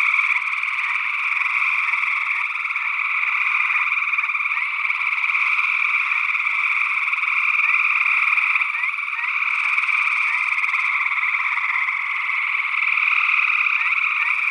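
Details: Gray tree frogs calling in Northwest Wisconsin in early June 2022, taped with a stereo ORTF pair of small condenser microphones: a dense, unbroken chorus of overlapping trills with a few short rising notes from an unidentified second frog species.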